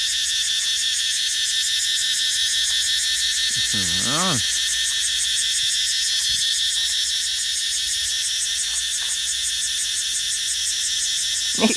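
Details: In the evening in a young planted forest garden, where cicadas began appearing around its fourth or fifth year and trees are just coming into leaf, a single cicada sings a loud, shrill, continuous buzz with a steady rapid pulse.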